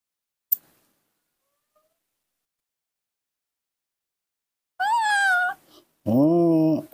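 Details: Waiting for its milk one morning, a tantrum-throwing baby monkey kept at home lets out two drawn-out, wavering whining wails after a long quiet stretch, the second louder and lower.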